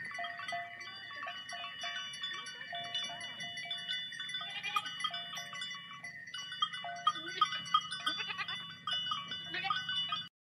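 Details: A large herd of sheep walking through water: many overlapping bleats, some wavering and some steady, rise and fall across the whole stretch, with a few louder calls standing out near the end.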